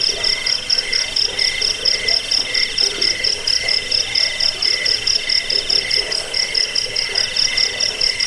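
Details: Jangkik cricket chirps in a recording meant as a rat repellent, sleep aid and birdsong tutor. Quick shrill pulses pour out about twice a second, with a ringing high row and a softer lower trill throughout.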